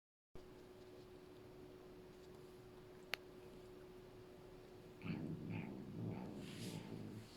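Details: Norwegian Forest Cat grooming a female Bengal cat named Jazzi for the first time indoors, two cats that often quarrel; after a quiet stretch, low grumbling, bleating noises come in short uneven bursts near the end, with a faint steady hum behind.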